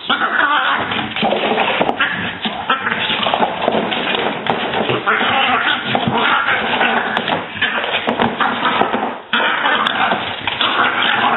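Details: Two French Bulldog sisters squabble, one picking on the other, in a steady stream of rough, grumbling growls and snorting yowls.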